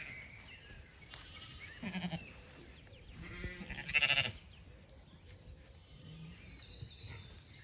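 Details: Zwartbles sheep on a regenerative farm in County Kilkenny, Ireland, walking through an orchard in bloom in the evening; two short vibrating bleats, the second louder and nasal, amid quiet chirping birdsong and soft rustling.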